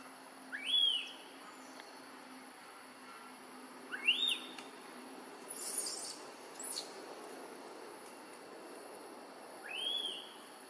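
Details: Newborn baby macaque crying loudly, hungry for milk after Tarzanna kept her away a long time; high, arching cries that rise then fall, three in about ten seconds at uneven gaps, over a steady high insect hiss.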